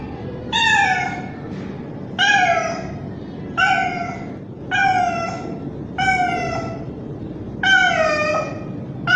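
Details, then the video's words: Loud calling by a young male street cat seeking a female in heat, six strong meows spaced about one and a half seconds apart, each starting high and dropping, with quiet hum between. "Male Cat Calling Female | Cat Mating Call Sound | Male Cat In Heat Sounds"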